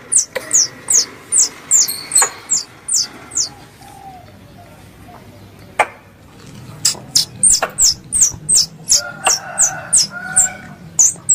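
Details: Squirrel sound used as a lure for hunting in Indonesia. Quick, high, downward-slurred chirps repeat in a steady run, pause for a few seconds, then return at a similar pace.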